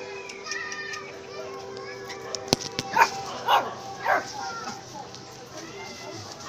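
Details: Miniature Pinscher giving three short, evenly spaced yapping barks about half a second apart midway through, after a couple of sharp clicks, with people talking and children's voices in the background.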